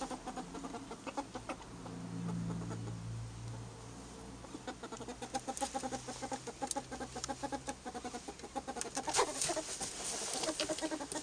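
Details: Albino pet ferrets, one named Jimmy among them, giving soft repeated clucking pulses that grow busier and louder toward the end, with low rumbling background noise early on.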